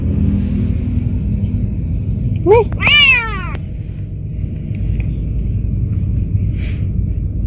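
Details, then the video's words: Pet cat on its first trip out sightseeing gives a short rising chirp and one arched meow, surrounded by steady low road or vehicle rumble and a faint click later on. "Talkative cat travel for the first time"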